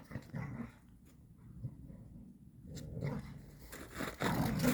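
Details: Puppies playing together in a cold forest village during the holiday on 22 January 2023, rough play that looks like fighting; short low growls and scuffling bursts, with a quiet gap in the middle.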